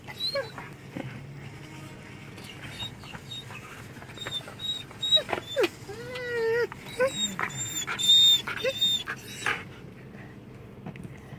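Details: A male Belgian Malinois "talks" to his owner with a run of whining, yodel-like grumbles that bend up and down in pitch.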